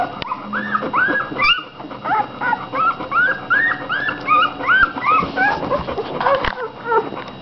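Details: Fifteen American Bulldog puppies from two litters, a few about five days younger, eating and sleeping; dense chorus of arching, rising-then-falling squeals and whines, many overlapping, almost continuous, with a brief pause near the start.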